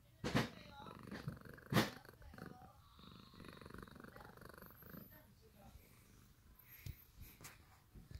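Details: Sakura, a pet cat, sleeping on freshly washed bed sheets it has stolen. A low, steady rumbling purr fills the middle of the recording, with a few loud thumps near the start and faint voices in the room.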